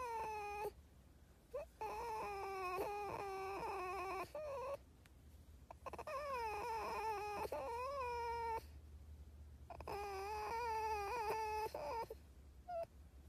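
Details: Pet fox whining insistently in a long run of tonal, wavering cries that rise and fall in pitch, with short gaps between bouts.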